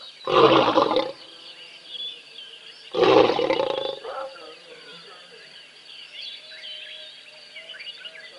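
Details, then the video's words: Roaring of the big male in a lion pride at a Tembe waterhole as sub-adults play nearby: two powerful, coarse roars three seconds apart, then a fainter grunt, with soft bird calls continuing afterward. "Lion Pride Roars at Tembe"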